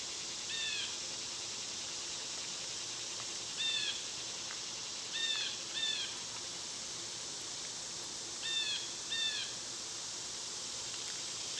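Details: Steady high whine of summer cicadas, loud at this season, under repeated short downward-sliding bird notes that arrive in pairs every few seconds.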